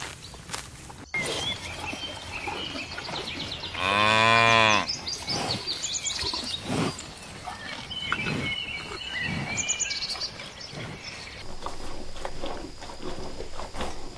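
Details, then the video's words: Grazing cows line up across a meadow looking for food. One deep moo of about a second rises out of a noisy rural background, with faint bird chirps and rustling throughout. "Sounds of cows mooing"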